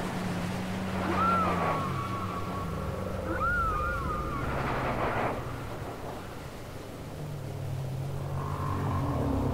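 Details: Whale song from a cassette recording: short upswept whistled squeals and low drawn-out moans, some gliding downward, spaced over a hissing, rumbling background.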